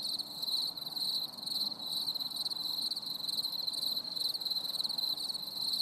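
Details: Cricket chorus on a stormy summer evening, a shrill pulsing trill held almost without pause, brief dip near the second mark, over a faint low rumble.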